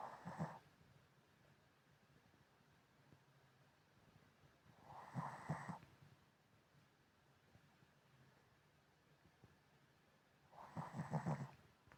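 A Shih Tzu snores in slow, rasping bursts, each breath spaced about five seconds apart.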